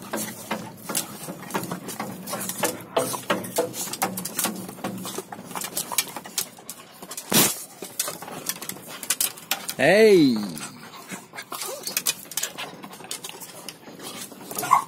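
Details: Black four-month-old village dog puppy, offspring of a dog named Blacky, kept by a village dog breeder; one arched, rising-then-falling whining yelp about ten seconds in, amid clattering, tapping and brief human voices.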